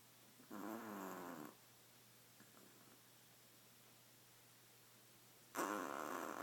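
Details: Sleepy badger snoring loudly, two harsh wheezing snores about one second long, separated by roughly four seconds of quiet breathing.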